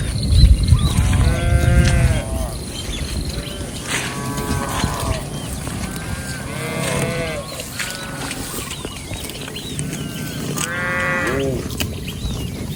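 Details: A herd of cattle roaming and grazing in a rice field, with several arched, harmonic lowing calls spaced a few seconds apart, over a steady low rumble and scattered chirping birds.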